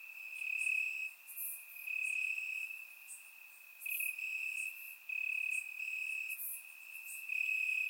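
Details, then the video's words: Night-time crickets in Bulgarian grass on a warm summer evening, recorded in surround sound; a sustained high trill pulses in louder and softer stretches, topped by short sharp higher chirps from other callers. "Cricket Sounds - Crickets Chirping at Night"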